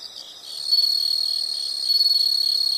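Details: Insects in a nature sound recording: a steady high-pitched buzzing trill, continuous and shrill, swelling louder after the first half second and holding a bright thin tone throughout.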